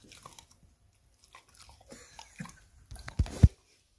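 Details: Peach, a Rottweiler puppy, gnaws her first rib in a small indoor room, hiding to keep it to herself: soft scattered crunching and licking, then two loud sharp bites close together at the end.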